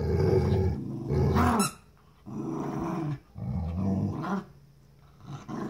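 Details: Pitbull and Jack Russell terrier in a play-fight over a new toy: deep, continuous rumbling growls in long swells of about a second, rising into a harsher snarl, separated by short quiet gaps.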